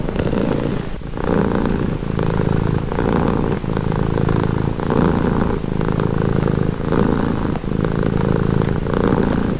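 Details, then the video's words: Purring domestic cat, a relaxing recording: an even, rhythmic low rumble broken into regular breath cycles roughly every half-second to second, alternating slightly rougher and smoother phases, quiet room otherwise. "Purring cat"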